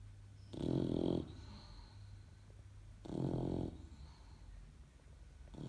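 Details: Young English Bulldog puppy kept as a pet in Portugal, sleeping and snoring loudly indoors; two rough, low rasping snores roughly 2.5 seconds apart, each lasting under a second, with quiet breathing and a faint steady hum between them.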